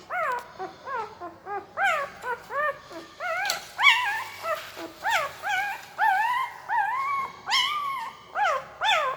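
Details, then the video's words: A sleeping puppy makes a weird noise with its mouth: high, thin, nasal whimpering squeals with bent pitch, some rising then falling, given in quick bursts about two per second with brief breaths between and no other sounds. "Puppy Sound while Sleeping II Puppy Making Weird Noise with Mouth II सोते समय Puppy की आवाज"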